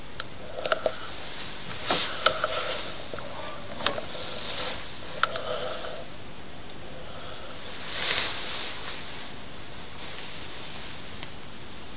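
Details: Night in Mt. Buffalo National Park, Victoria, Australia, with only soft clicks, rustles and a brief hiss over steady background noise, and no animal call heard.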